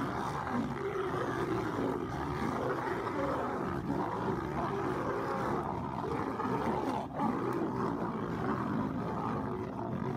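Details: Lions fighting: several females attacking and mauling a male while competing for a mate. Continuous harsh, rasping snarls and growling roars run unbroken through the whole stretch, loud and dense, with a brief dip around seven seconds.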